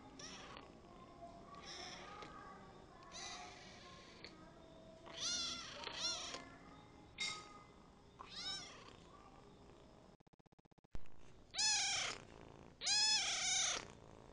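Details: Kitten ten days after adoption, meowing repeatedly: several harmonic, rising-then-falling cries spaced a second or two apart, growing louder and longer toward the end, with a brief break in the middle and faint room noise.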